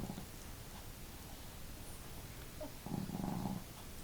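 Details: Two household dogs, female Marimo with a hearty snore and Daigoro with a modest one, sleeping indoors; soft breathing gives way to one humming, nasal snore near the end, with quiet background hiss.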